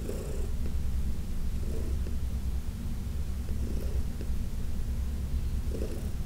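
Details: Senior cat Heidi, once a shelter cat in New York City, purrs while being massaged, a continuous deep rumble broken by faint rhythmic breath pulses about every two seconds.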